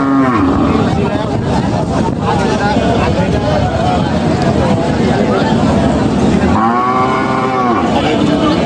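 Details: Cattle at a village market during buying and selling. A loud arching moo with stacked harmonics rises and falls near the end. Constant crowd chatter and bargaining voices run throughout, with vehicle noise.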